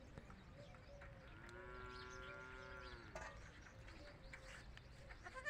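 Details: Baby goat on a goat farm calling when separated from the adult goats: one long, steady, nasal bleat of about two seconds, fainter short calls around it, and a constant low background rumble.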